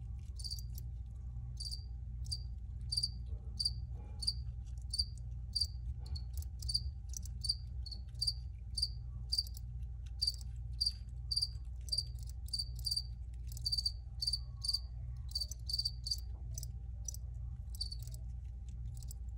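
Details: Steady cricket chirping, crisp high pulses repeated at a fairly even pace about twice a second throughout, with a continuous low rumble underneath.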